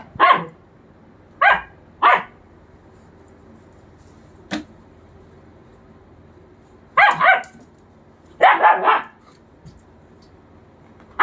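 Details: A two-month German Shepherd puppy and a three-year German Shepherd at play; scattered sharp barks with long quiet gaps between, one brief click-like yip midway, and a tight double-triple bark burst near the end.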